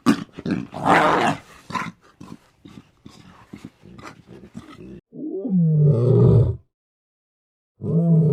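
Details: Lion (Panthera leo), roar.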